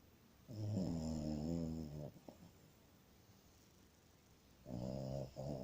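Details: Masya, a sleeping French Bulldog, snores in two long rattling bouts, each a low buzzy rumble with a faint nasal whistle riding above it, separated by a quiet pause of nearly three seconds in a calm indoor setting.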